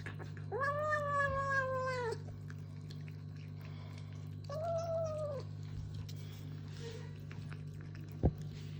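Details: Kitten vocalising while eating, giving a long sustained meow, then a shorter one, over a constant low electrical hum with small clicks.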